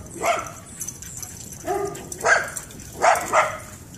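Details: Shiba Inu and Pit Bull, two dogs excitedly chasing each other while playing in a backyard after a long time apart; short sharp barks and yips come in pairs, with a lower whine near the middle.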